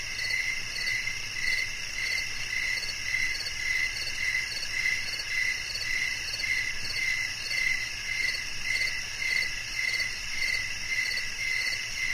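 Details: Regular cricket chirps, clear trilled pulses recurring roughly every half second, set against a dense, unbroken high-pitched insect drone.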